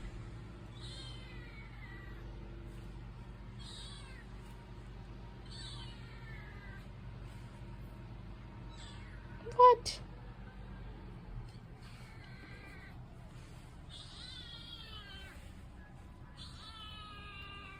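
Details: Frightened indoor kitten with a mad meow repeats short, strained, rising-then-falling meows every two to three seconds, some harsher and wailing, with one sharp knock midway and a faint room hum behind.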